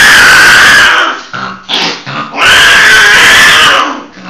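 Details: A hybrid of a Sumatran leopard cat and a domestic cat, later bred with a Bengal, gives two loud, harsh, raspy screaming yowls separated by a brief pause.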